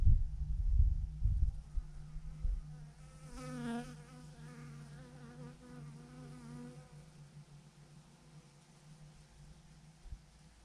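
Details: Thousands of honey bees hanging in a massive swarm clumped on a branch, a dense buzzing hum with wavering harmonic tones as individual bees fly close, strongest in the middle seconds, over low rumbling wind noise at the start.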